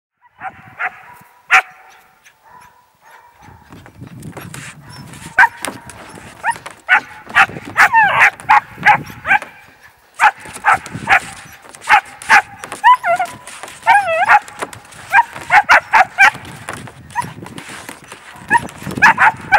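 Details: Two 3-month-old German Shepherd pups from Von Woden Kennels, in training as potential police K9s, give a busy run of high, harmonic yips and barks, some wavering and some in quick clusters, with short pauses between bursts.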